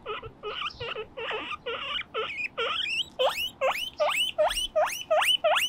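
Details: Moruhei and Mokohei, two pet guinea pigs playing on a balcony; a run of squeals that turns into steeply rising whistled wheeks, about two and a half per second, steady and insistent.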